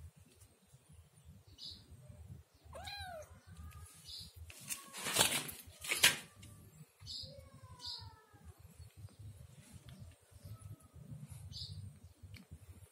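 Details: Kitten mewing: a few thin, high, arching meows with stacked harmonics, some short and some drawn out, spaced irregularly, over low rumbling background noise with two loud bursts of clatter midway.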